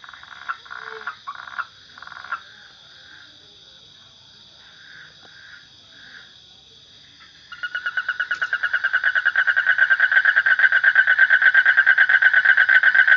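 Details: Frog calling: a few separate short croaks in the first seconds, a quiet gap, then a loud, fast, evenly pulsed rattling trill that runs on to the end over a steady high insect-like whine.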